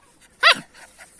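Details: Anatolian Shepherd puppies, 44 days old and still nursing from their mother; one sharp, high yelp about a quarter second long with a quick falling tail, followed by faint soft rustling.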